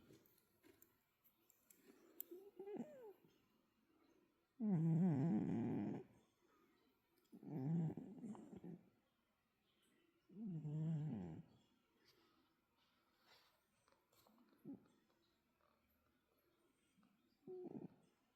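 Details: Pet cat snoring indoors in a small room: low, rough breathing bursts about every three seconds, each lasting a second or so, with quieter breaths in between.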